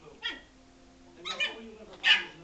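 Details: Frankie, a Yorkshire Terrier, barking in anger at a ball that was rolled toward him and hit him: three sharp, high-pitched, ringing barks spaced about a second apart, the last loudest, with a faint human voice underneath.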